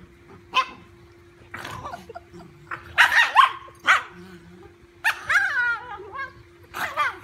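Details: A fearless dachshund squaring up to a big golden retriever puppy gives sharp, high barks and yips in irregular bursts, with a faint steady hum behind.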